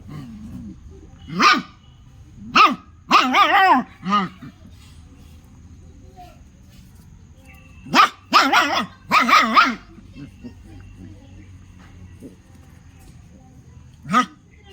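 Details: An angry pet dog barking in short bursts: single sharp barks and quick doubles and triples with gaps of several seconds between groups, over a quiet background hum.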